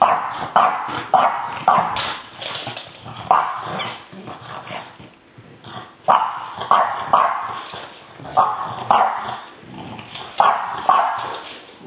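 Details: A female French Bulldog puppy baring her teeth lets out harsh, gravelly growls in quick bursts, several in a row then a brief pause, some sharpening into small yaps before settling back into a raspy snarl.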